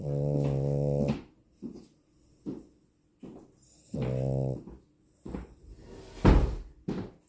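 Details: Female French Bulldog snoring indoors: long buzzy, nasal snores about a second each, recurring roughly every three seconds, with softer breathy sounds and a sharp knock between them.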